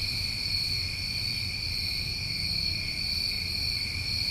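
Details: Crickets on a New England summer night forming a steady, unbroken high-pitched chorus, with layered continuous trilling bands and no pauses, over a faint low rumble in the background.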